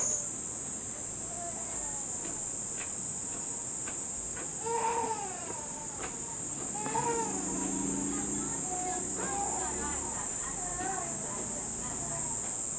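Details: Cicadas heard for the first time this summer in Nishinomiya, Japan, near the end of the rainy season, at a family home: a steady high, even buzz runs throughout, while a baby cries loudly in repeated wails over it.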